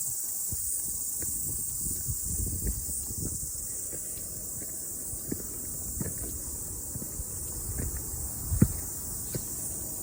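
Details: Cicadas singing after rain on a morning mountain hike: a steady, high, hissing buzz holds throughout, with crunching footsteps and brushing sounds below.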